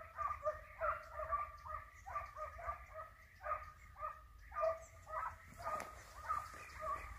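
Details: Hare-hunting dogs bay with the flushed hare in view: bright, tonal yelps repeated about twice a second in an irregular stream, voices overlapping, with a low wind rumble and a brief sharp crack near the end.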